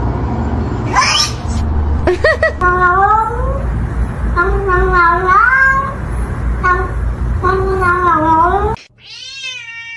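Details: Domestic cat from a funny-cat compilation, giving a run of about eight drawn-out harmonic meows over several seconds. Some bend upward, others fall away, and a steady low hum lies underneath. A final rising meow comes after a brief break.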